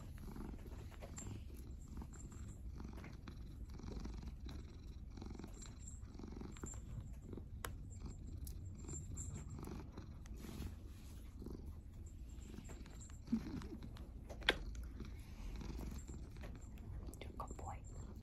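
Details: Brutus, a domestic cat, purring: a low, continuous rumble that swells and eases with each breath, a little under once per second, with occasional faint clicks and rustling handling noises.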